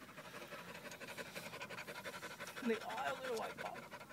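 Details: Heavy, rapid breathing from the dog Venice as she gives birth to puppies, steady rhythmic pants under a short burst of human speech partway through.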